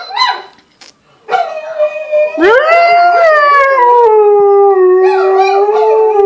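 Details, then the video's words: A Tamaskan dog gives a long, tonal howl that swells upward then slowly slides down in pitch, singing in response to another dog's howling played from a video. "Tamaskan responds to howling dog video"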